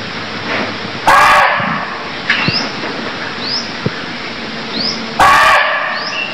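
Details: Barking deer in Cambodia giving two loud, harsh, bark-like cries about four seconds apart, each under half a second long, over a steady hiss, with thin rising bird chirps repeating in the background.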